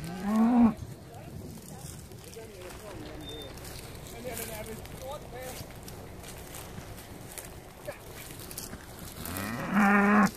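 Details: Hereford cattle, among eleven cows with calves landed by boat on Skarø, Denmark, on 13 April 2016 to graze the summer: loud moos at start and end, fainter lowing between, outdoor background noise.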